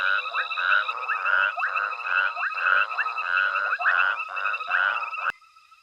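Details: Frogs croaking in a nighttime chorus at Hwange Safari Lodge as elephants forage: harsh rattling calls tightly repeated for five seconds, then an abrupt cut leaving only faint distant trilling.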